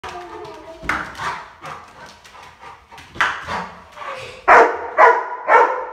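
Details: Labrador Retriever giving a string of short, harmonic barks and whimpers, soft and scattered at first, then three loud, sharp barks close together near the end, in a quiet indoor setting.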